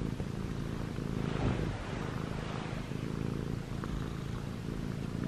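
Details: Domestic cat, a white and gray male Munchkin kitten named ChoBee, six months old, kneading on pajamas while purring; a steady low rumbling purr fills the clip, with light rustling throughout.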